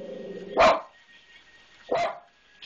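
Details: Domestic dog barking at a disliked maintenance man: two harsh, explosive barks roughly 1.4 seconds apart with quiet gaps between, and a person urging it on in the background.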